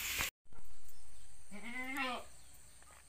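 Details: Goat kid at a Pacitan village farm, among nine born in one week from four mothers; a clear, slightly quavering bleat lasting about half a second after a brief knock, with steady background hum.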